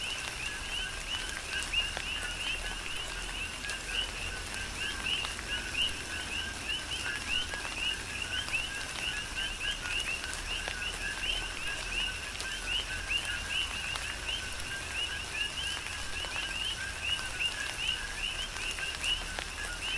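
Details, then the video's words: Chorus of coqui frogs during a tropical rain shower on the Big Island, Hawaii: many overlapping short, repeated two-part chirps at a steady rhythm, with constant rain hiss and scattered raindrop taps. "Tropical Rain & Coqui"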